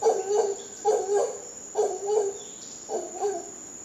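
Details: Howler monkeys in Costa Rica giving deep, hoarse pulsed roars in four short bursts, each a rapid series of throaty grunts, with a steady high insect whine running underneath.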